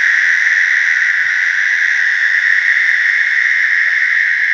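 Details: American toads calling in a slough during mating, a continuous high, steady musical trill with overtones that holds without a break for the whole stretch, like an overlapping chorus, with no other sounds standing out.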